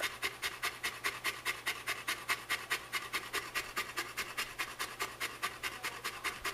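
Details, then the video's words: Panting from Shelby, a pet Saint Bernard female, heavier in the summer: quick, even, breathy huffs repeating a little over twice per second throughout, very regular, indoors and otherwise quiet. "The Saint Bernard That Never Shuts Up"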